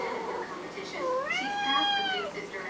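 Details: Pet cat begging for food indoors, giving a long drawn-out meow that rises then levels off and falls, clear and tonal, with softer murmurs before it.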